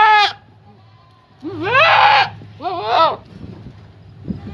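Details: Young Boer buck in puberty or rut, calling his head off as his voice changes: a brief high bleat, then a long strained wavering bleat and a shorter harsh one, with low background hum.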